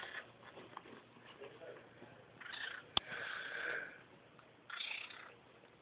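Caracal kittens give breathy, rasping calls in short bursts over a low steady hum.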